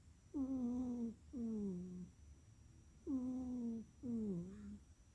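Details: Pet cat named Miss Tally Checkers snoozing indoors, snoring in paired whistly, nasal tones that slide downward in pitch, each pair of breaths about one second long and returning roughly every three seconds.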